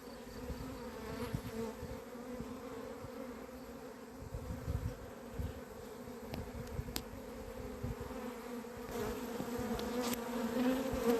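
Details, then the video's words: Honey bee colony on 28 April 2026, its bees having gone crazy; a continuous two-toned humming drone, swelling slightly toward the end, broken by short crackling thumps and a few fleeting higher whines. "albinele mele au luat-o razna"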